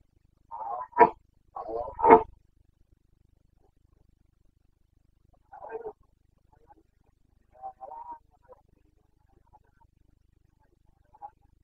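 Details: Carpathian stag, a red deer of the Bucovina mountains, roaring in the rut on 29 September 2022: two strong guttural bellows, then fainter, shorter grunts trailing off across quiet forest air.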